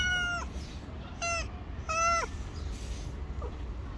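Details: Stray cat living on the street, afraid of the person yet staying near because it expects food: three clear harmonic meows, the last drawn out and bending downward, over a low steady rumble.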